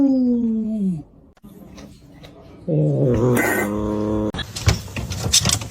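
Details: Indoors, a domestic cat lets out a low, falling wail, then after a pause a louder, wavering, drawn-out moaning yowl, ending amid rustling and handling noise.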